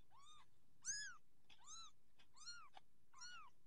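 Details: Persian kittens growing up, orange Persian cats kept at home: a run of five clear, high, arched mews about every 0.7 seconds, bright and harmonic, over faint background hum.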